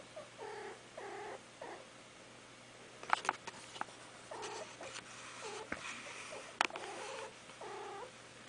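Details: A mother cat making a soft, comforting call to her kittens, a sound she rarely made at other times: quiet, rolling chirrups repeated every second or two, with occasional clicks and rustling.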